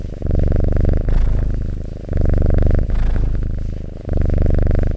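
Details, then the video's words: Close, loud purring of a domestic cat: heavy low rumble in long swells of about one to two seconds, separated by short dips as the cat breathes. "Purring Cat ASMR"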